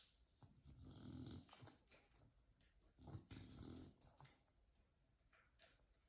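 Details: Bulldog asleep on a couch snores in soft, rough, breathy rasps, with two fuller snorts about two seconds apart, over a quiet indoor background.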